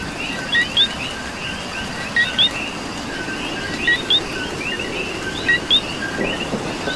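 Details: Rainy night-style ambience from Puerto Rico: a coqui gives four clear co-qui calls about every one and a half seconds, low note then rising high note, above many fainter coquis and steady rain.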